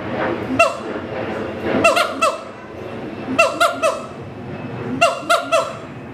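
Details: Territorial duet song of an adult siamang pair at Schmutzer Primate Center: clusters of two to four harsh, harmonic barks with short downward slides, recurring roughly every one and a half seconds over a noisy background.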